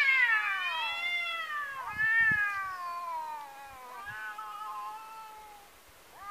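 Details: Two tomcats facing off in a fight: long, moaning yowls that slide slowly downward and waver, one after another, with a few faint clicks and shuffles beneath and a sharp rising wail at the end.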